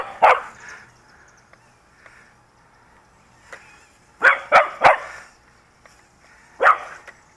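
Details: Pet dog barking at a small toy drone flown around it, after playing fetch with a ball. One sharp bark, a long pause, a tight burst of three barks, then one last bark, all in a quiet setting.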